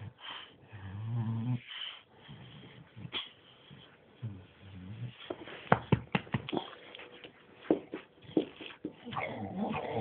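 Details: Two male dogs, a bulldog and a Staffordshire bull terrier named Bruise and Winston, playing indoors: low rumbling play growls in short bursts, broken by scuffling clicks and thumps, with a soft whimper in between.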